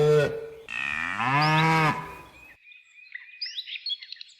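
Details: Cows in nature: a short low moo followed by a longer, deep, steady bellow lasting about a second, then quiet with birds chirping and twittering.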